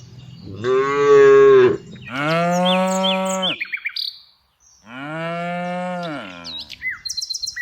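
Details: Tame cows herded every afternoon: three drawn-out, deep moos, the first two almost back to back and the third after a short quiet gap, with brief bird chirps and twitters between and after them.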